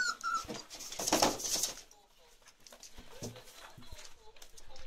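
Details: Chocolate Labrador Retriever puppies, 34 days old, from Ruby's litter, indoors in a small room; a thin high whine opens, followed by brief soft squeaks and whimpers, with people talking and handling noises throughout.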